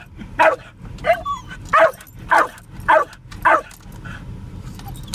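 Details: Spike the Jack Russell Terrier, out for a car ride, barks at cows: six loud yapping barks about every half second, then quieter, with a soft squeak between barks and constant engine rumble beneath.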